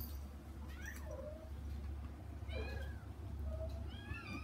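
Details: Kittens meowing to reach their mother cat behind frosted glass, kept out of a large front room: several high, thin meows rising then falling, a few overlapping, over a steady low hum.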